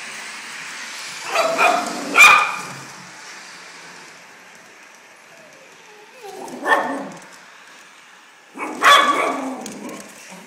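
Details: Maltese dog barking at a Lionel Polar Express toy train set: sharp, high yappy barks in three bursts, a quick double bark early, then single barks several seconds apart, with a faint hum between them.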